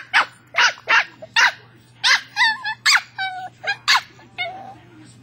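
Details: Bailey, a pet West Highland White Terrier, barking at his toy ball: sharp, high barks in uneven bursts, some drawn out into whiny, wavering tones, roughly a dozen over five seconds against a low steady hum.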